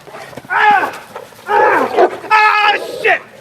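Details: A protection dog with strong defensive fight drive growls in three tense bursts while biting a person in a bite suit, a strained, harmonic rumble.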